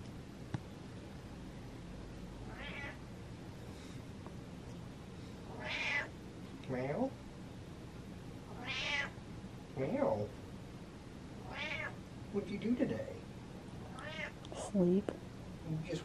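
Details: Pet cat meowing for touch and attention, about seven meows spaced a second or two apart, some short and some drawn out, mixed with a woman's voice talking to it in a room.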